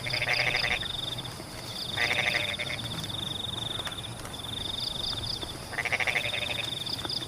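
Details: [1, 'likely', 'croaking calls', 'Frogs calling in the rain in rice paddies: three loud, rattling, pulsed croaks of under a second each, about two to three seconds apart, over steady rain hiss and a continuous high insect trill with soft ticking pulses.']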